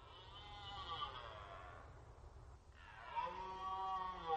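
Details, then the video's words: Archival rut recording of red deer at the Orzysz training ground, Poland: a strained, harmonic roar fades out, then after a short gap a second rising bellow starts, with steady low background rumble. "Archiwalne rykowisko na poligonie Orzysz"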